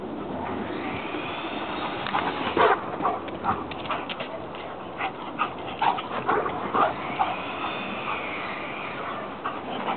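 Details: Jake, a Giant Schnauzer-Boxer cross, tearing around a backyard in a burst of energy, running figure eights. High, thin whines arc up and down near the start and again near the end, with short yips and scuffling scattered between, over steady background noise.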